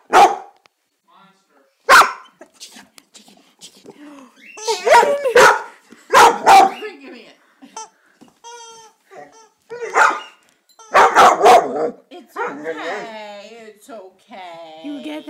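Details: Pet dog indoors barking at a new squeaky toy chicken: sharp barks in irregular bursts, some doubled, mixed with a person's speech and the toy's drawn-out wavering squeals near the end.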